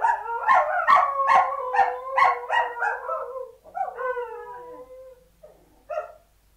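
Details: Samoyed puppies inside a room: a quick run of about eight rhythmic yips, then a sliding howl that falls away, and finally one short yelp after a quiet gap.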